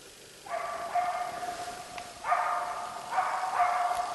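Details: Moose-baying bark of the East Siberian Laika Ahmarakan Vera, a Finnish champion hunting dog: after a quiet start, a long rough bark is followed by a quick run of ringing, harmonic barks, heard from some distance outdoors.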